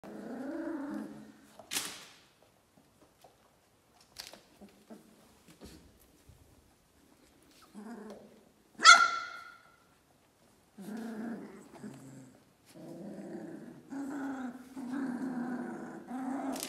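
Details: Doberman puppies, 21 days old: soft whimpers, squeaks and grumbling whines in scattered bursts, one sharper yelp midway, with quiet gaps between the calls.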